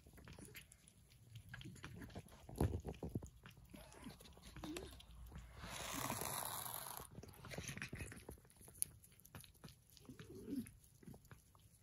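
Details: Persian cats eating their breakfast: irregular crunchy clicks and soft smacking chews, a louder burst of chewing near the start, and a brief rushing swell in the middle.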